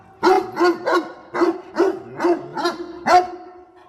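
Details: A dog that helps its owner pick water spinach gives eight rapid, evenly spaced barks in under four seconds, each bark bright and harmonic-rich.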